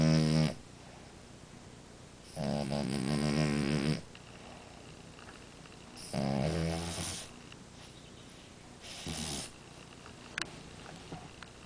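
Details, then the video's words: French Bulldog Amora asleep and snoring, with four throaty, vibrating snores at uneven intervals of two to three seconds, the last one shorter and softer, and quiet breathing between them. "Bulldog Francês Amora roncando!"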